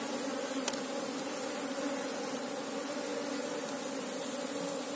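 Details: Honey bee colony of Apis cerana, the Asian honey bee, buzzing while a beekeeper looks for the queen: an unwavering low droning hum with a clear overtone, one sharp tap near the start.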